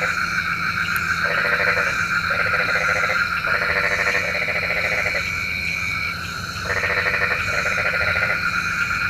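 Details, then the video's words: Night frog chorus, said to summon rain. Croaking comes in pulsed, grating bursts, several back to back then a gap, set against steady high insect droning. "SUARA KODOK KATAK | Panggil Hujan"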